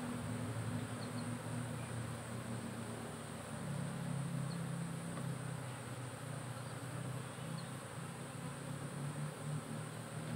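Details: Honey bees of a cultivated colony housed in a hive box whose temperature and weight are tracked by a smart monitoring system; continuous deep, wavering drone of many wings, swelling slightly midway, with faint high ticks above.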